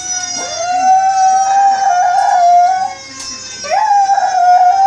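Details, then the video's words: A pet Chihuahua howls at fire engine siren sound effects in long, sustained, wavering notes, rising into each howl and holding it steady, as he does whenever he hears fire engines. "Dog howling at fire engine siren sounds"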